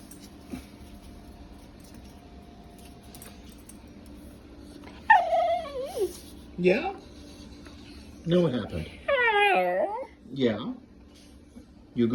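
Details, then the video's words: Male pet Welsh terrier making funny noises: after quiet background, a run of sliding whines and yelps, several dropping steeply in pitch, one warbling whine with many overtones, and short rising squeaks, loud and close. "My Welsh terrier dog making very funny noises"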